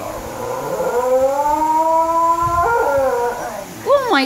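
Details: Basenji; yodel; vocalizing back in response to its owner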